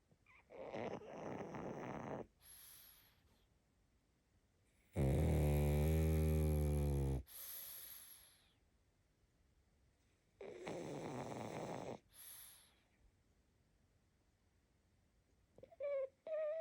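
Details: Female pug puppy asleep, giving deep, buzzing snores, with one long loud snore in the middle and softer ones on either side, then a few brief high squeaks near the end.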